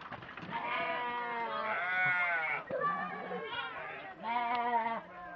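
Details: Sheep on a livestock farm, long wavering bleats with a quivering tone, two main calls separated by a short pause, with people talking close by.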